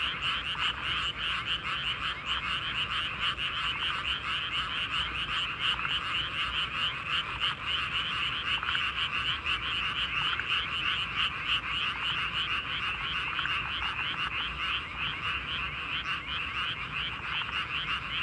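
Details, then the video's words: Nighttime paddy field frog chorus, many frogs croaking at once in a thick, unbroken rattling drone made of fast repeated pulses, steady in loudness throughout. "カエルの合唱大会 Chorus of frogs in the paddy field جوقة من الضفادع في الليل حقل للارز"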